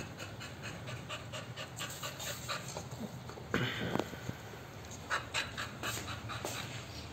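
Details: Groza, an American Bully, pants steadily during play time: soft breathy puffs in an even rhythm, broken midway by a louder scuffling burst, with a low background hum throughout.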